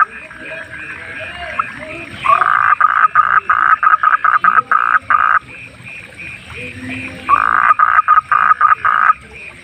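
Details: A wild frog at night croaks in loud rapid bursts, each run of choppy pulses lasting a few seconds, separated by quieter stretches where a softer chorus of other night animals continues.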